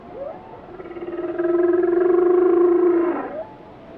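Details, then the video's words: Whale song: one sustained, pulsing moan about three seconds long, holding a steady pitch with rich harmonics, opening with a brief upward sweep and closing with a short rising note. "Song of the Whales"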